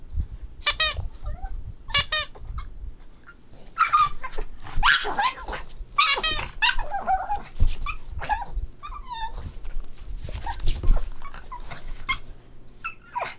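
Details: Boston Terrier puppies at play: high, squeaky yips and short whining cries in quick clusters, some rising then falling, with pauses between bursts and soft scuffling and thumps beneath.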